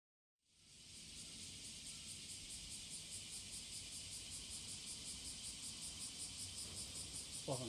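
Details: Cicadas singing in courtship on the morning of July 30, 2017, a dense high buzzing chorus that sets in abruptly and holds steady with a fast, even pulsing throughout, faint low rumble beneath.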